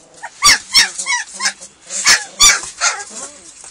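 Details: German Shepherd puppies, hungry at feeding time, yelping and whining together: bursts of loud, piercing squeals roughly every third of a second, mixed with softer falling whimpers from the litter.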